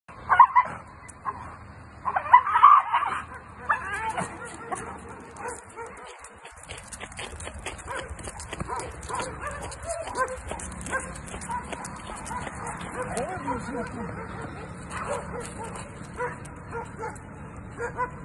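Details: American Staffordshire Terriers bark while chasing off a wolf. Loud, sharp barks burst out in the first few seconds, followed by quieter scuffling noise and faint yelps.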